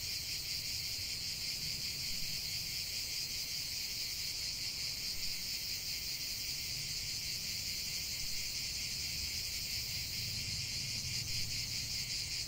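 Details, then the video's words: Outdoor cicada chorus forming an unbroken hissing, buzzing wall of sound with only loose pulsing, plus a faint low rumble. "45 min de chant des cigales"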